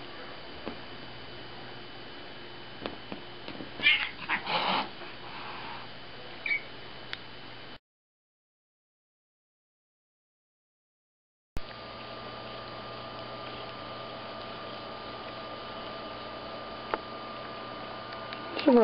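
A tabby cat gives a brief, harsh growling outburst over steady background hiss.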